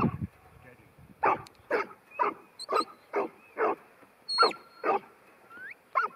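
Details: Ten-month-old female New Zealand Huntaway named Ruby gives deep, evenly spaced barks roughly twice per second, with thin whistled notes cutting in between the barks.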